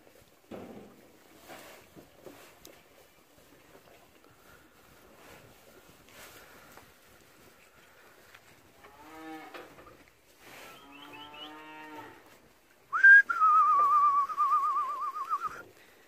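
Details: Cattle on a farm at Kičevo/Lisičani, 9 August 2017; after quiet knocks and rustling, two soft harmonic moans come around the middle, then a loud, high, wavering bellow lasting about three seconds closes the recording.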